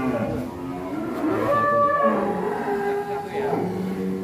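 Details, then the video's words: In Indonesia, a raging one-ton bull escaping its pen lets out a strained, bending moo that climbs and then slides down, followed by lower grunting moos. "SAPI EXTRIM TERKUAT 1 TON LARI NGAMUK KELUAR KANDANG"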